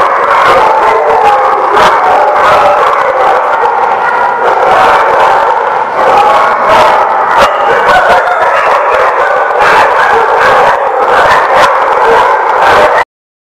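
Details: Steady, loud, overlapping barking and howling from many dogs at The Barking Lot, 28 April 2017, running without pause until an abrupt cutoff at the end.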